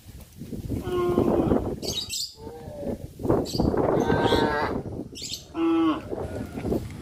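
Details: Village cows travelling the road to the livestock pen on a traditional farm in the afternoon; several mooing calls of varied pitch overlap, some short and rising, one sustained and nasal, over steady background chatter and chirps.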